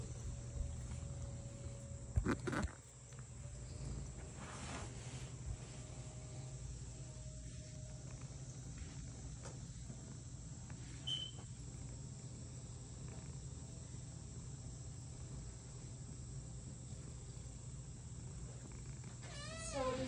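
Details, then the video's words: House cat purring in a home shared with another cat; a low steady rumble runs throughout, with a bump or knock near the start and a brief chirpy squeak at the end. "Hanging out with my girlfriend’s cats while one of them purrs"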